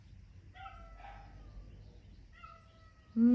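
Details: Domestic cat meowing somewhere near dogs out on a sunny weekend morning walk: two faint, drawn-out, steady tonal meows, then a short voiced sound from a person at the end.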